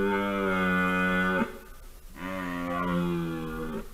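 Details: Red deer stag roaring during the 2023 rut, caught by a trail camera in Poland: two long, deep, harmonic bellows, the first steady for about one and a half seconds, the second longer and slightly falling, with a short gap between.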